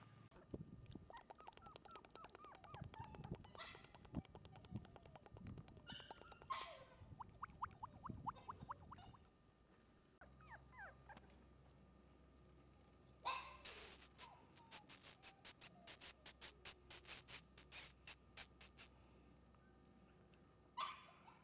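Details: A male sesame Shiba Inu puppy, about four weeks old, filmed in January, gives high, thin whimpers and squeaks in quick repeated runs.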